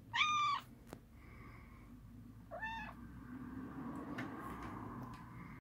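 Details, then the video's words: Domestic cat screaming indoors: two short, harmonic, slightly falling meows about two and a half seconds apart, the first louder and sharper, over a low steady background hum with a faint click between them. "Cat screams"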